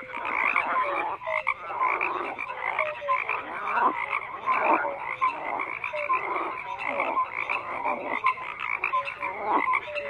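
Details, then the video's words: A thick frog chorus: countless croaks overlapping, with brief rising nasal notes popping out every second or so above a constant buzzing, pulsing wall of calls. "FROGS CROAKING"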